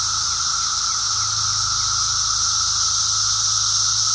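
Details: Short stretch of a Brood X periodical cicada emergence, a wall of shrill, buzzing song from many insects at once, constant and unvarying, with a low hum underneath.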